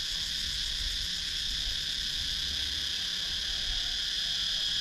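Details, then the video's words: Cicadas in a wooded countryside area of Sakon Nakhon, Thailand, recorded on a GoPro Hero 9: a steady, unbroken high shrill drone in several layered bands, with faint low rumble beneath. "Cicadas Sound"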